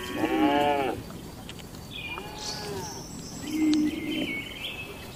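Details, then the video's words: Tame cattle in a farm barn during the daily routine, eating and gathering: a short mid-pitched harmonic moo, then fainter drawn-out lowing, with small birds chirping high in the background. "Moo Suara Sapi Jinak"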